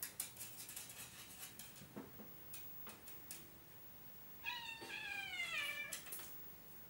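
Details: Oriental cat RU*Meekahoo Dandy gives a single drawn-out meow of about a second and a half, harmonic and sliding slightly downward in pitch, after a run of sharp clicks and knocks.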